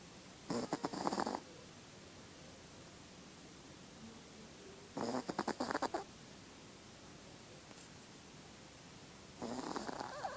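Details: Female Chihuahua snoring in her sleep: rhythmic, gravelly fluttering snores, each about a second long, recurring every four to five seconds, with faint room hiss in between.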